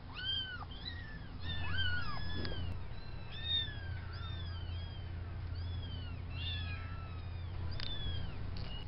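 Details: Farm kittens, three males and one female, at the fluffball stage a few weeks old; many overlapping high thin meows, arched and falling, repeated rapidly over a steady low hum.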